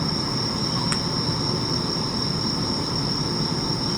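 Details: Bell crickets singing at night around 1 a.m. on 3 September 2025 in Sendai, Japan, while a distant thunderstorm flashes over Yamagata beyond Mount Izumigatake; a steady, high, unbroken ringing tone runs throughout over a low rumbling background hiss.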